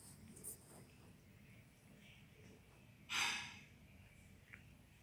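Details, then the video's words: Cat sneezing indoors: one short, sharp, breathy burst about three seconds in, preceded by faint sniffs and followed by a small click in a quiet room. "Sneezing Cat"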